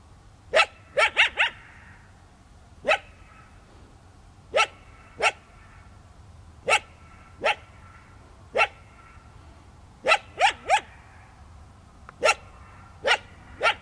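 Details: A coyote, spooked by a runner in the desert one evening, holds its ground and scolds with loud, high yelping barks, one quick triple burst followed by single barks roughly every second, then a cluster of three.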